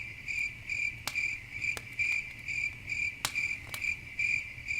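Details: Crickets at night near a campfire give rapid high-pitched chirp bursts at an even pace, about two per second, punctuated by a few sharp crackling pops from the fire.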